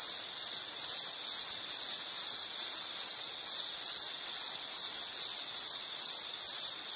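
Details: Insects chirping in a steady high-pitched chorus, short pulses repeating about twice a second in an even rhythm, with a fainter buzzing layer above and no other clear sounds.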